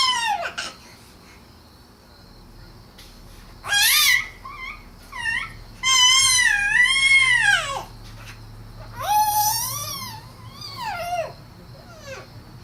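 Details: Izzy, a pet cat indoors, makes a run of drawn-out meows, some rising then falling, others short and bent, with quiet pauses in between and faint room noise.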